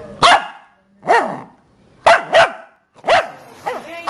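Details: Shih Tzu puppy at play during a game of hide and seek with its owners, giving six short, sharp yapping barks, some in quick pairs, with brief silences between them.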